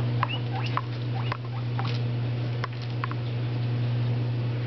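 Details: Two pet guinea pigs, an orange Abyssinian and a tricoloured shorthair, jumping around indoors on new bedding and eating lettuce; short, faint, rising squeaky wheeks in scattered bursts over a steady low electrical hum.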